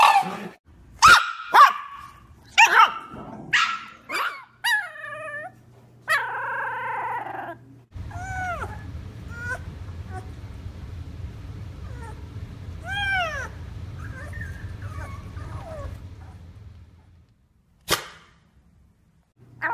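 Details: Shiba Inu vocalising in a varied sequence: sharp barks and yips early on, then rising-falling whining howls and yodel-like cries over a steady low hum, ending with a single sharp bark.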